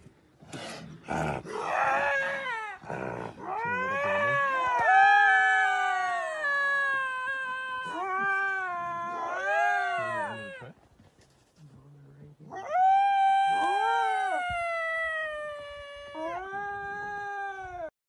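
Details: Two wild lynx call with long, wailing yowls that rise and fall like a drawn-out caterwaul.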